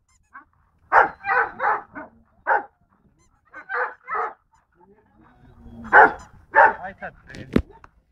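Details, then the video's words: Golden Retriever barking in short, sharp bursts: a quick run of five barks, a pair after a pause, then three more near the end, followed by a sharp click and a person speaking. "Golden retriver"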